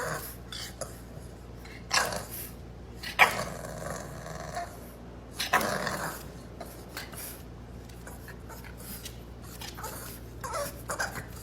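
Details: Bulldog puppy, one of several in a compilation of pet bulldog puppies, growling indoors in short rough bursts between quieter stretches, with scattered knocks and household noise around it.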